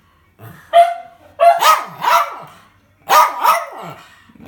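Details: A hungry pet Jack Russell terrier vocalizing as if talking: a short whine then two bursts of drawn-out, wavering, yowling howl-barks with rising and falling pitch, indoors.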